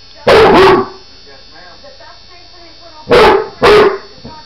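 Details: Female Basset Hound at home protesting a nail trim with a rotary Pedi Paws trimmer, which she hated: four short, loud, hoarse barks in two quick pairs, one pair near the start and another about three seconds later, with quiet room tone between.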